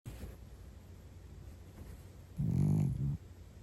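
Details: Cat sleeping deeply: one low, rough rumbling snore lasting under a second, heard midway after a stretch of near silence with faint room hiss.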